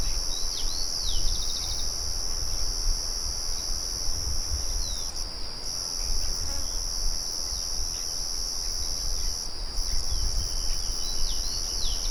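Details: Crickets produce an unbroken high trill with two brief dropouts. Quick descending bird chirps are scattered through it, and a heavy low rumble from a nearby windmill runs beneath.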